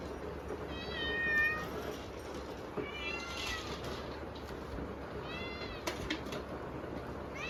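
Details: Hungry kittens meowing for food at dinnertime on a typhoon day: several high, harmonic meows in bursts near the start, middle and end, over steady heavy rain noise.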